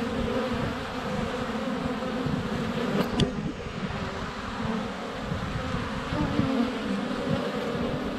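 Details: Honey bees in flight at a hive entrance on a sunny February day, filmed up close with a GoPro Hero 7 Black; a dense, continuous droning hum with wingbeat bands, and a sharp tap near three seconds as a bee lands on the camera.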